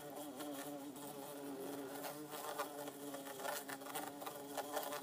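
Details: Two bumblebees in an insect tank, an orange-belted and a yellow-faced one, producing a continuous loud droning buzz with many wavering overtones, pulsing slightly in loudness, with light tapping throughout.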